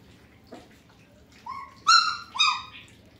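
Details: One German Shepherd puppy from the Sieger x Karolina litter lets out two short, clear, high whines after a faint squeak, over a low background hum.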